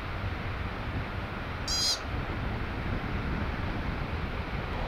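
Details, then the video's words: A single piercing, high eep from an American pika, brief and ringing, rises over continuous low wind rumble. "Call of the Pika"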